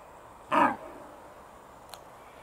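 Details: A red deer hind in Bristol, England, in September 2015 gives a single short, harsh grunt-bark, a vocal surprise warning her companions of a person filming.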